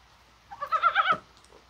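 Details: Mountain frog calling on a mild, spring-like January 21 day in rain, perhaps during spawning: one short nasal, pulsed croak with a rippling, vibrating quality, lasting about half a second.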